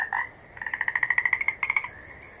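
A frog gives a rapid series of short, bright pulses, like a quick rattling trill.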